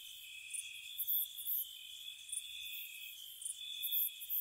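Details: Spring night chorus of crickets near a cottage, with an unbroken high-pitched ringing trill beneath sharp, very high chirp bursts arriving irregularly, roughly one or two per second.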